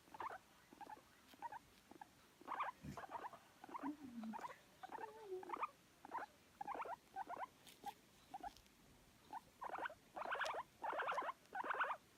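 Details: Guinea pig heard in spring 2019 calling while seeking affection: short squeaky chirps in uneven bursts roughly every half second, with a few brief rising whistles, in a quiet room.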